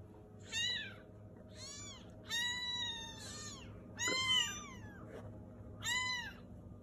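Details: Pet cat giving clear, high, arching meows, about five calls each lasting under a second and repeated roughly every one to one and a half seconds over a low steady indoor hum.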